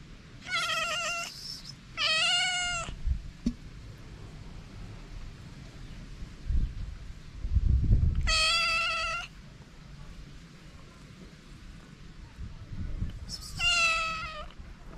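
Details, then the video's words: Hungry homeless feral cats, a calico and a ginger, starving in the cold; four long, loud, bright meows come in pairs and singles, each holding a steady pitch, separated by quiet gaps with low rumbling and a few soft thuds. "Calico and a ginger cat so hungry."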